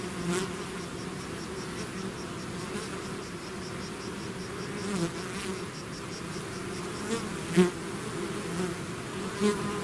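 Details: Honey bees swarming out of their hive, a dense continuous droning hum with steady low bands and a few louder buzzes as individual bees pass close by.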